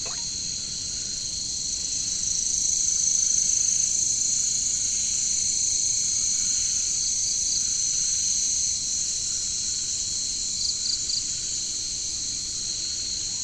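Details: Caricangkas katydids in the jungle produce an unbroken, piercing high-pitched hum, swelling slightly in the middle, with faint brief ticking pulses near the end.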